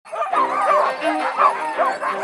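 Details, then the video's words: Sled dogs at a state park, gathered for dog sledding, give a dense chorus of overlapping yelps and howl-like barks with wavering, rising and falling tones. The calls run without a break, and a person's voice follows at the end. "Dog Sledding at State Park"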